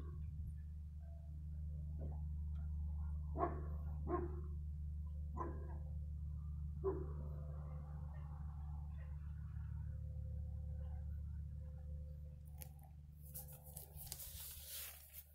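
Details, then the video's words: Dog heard on 15 February 2020, a handful of short barks spaced through the first seven seconds, then faint quieter sounds and a burst of hissing noise near the end, all over a constant low hum. "dog barking"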